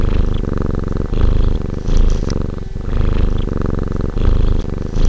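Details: Relaxed domestic cat purring: a loud, continuous low rumble in steady cycles, each breath lasting about a second, with brief softer gaps between inhale and exhale phases.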